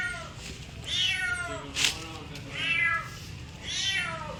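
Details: Three drawn-out cat meows about a second apart, each bright and harmonic with a rising then falling pitch, heard over a low steady hum indoors.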